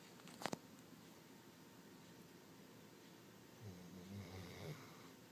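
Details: A dog named Shasta snoring indoors in a small room, snoring all the time: a faint, low, rough rumbling breath near the end, after a sharp click early on, over steady background hiss.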